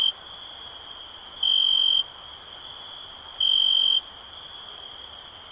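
Crickets trill in a steady high-pitched drone, with louder pulsing bursts every two seconds.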